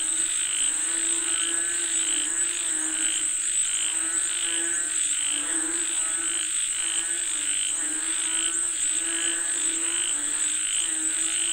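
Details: Chorus of frogs calling for rain, many voices croaking in rapid pulsed bursts that swell and overlap without pause, set against an unbroken shrill insect drone.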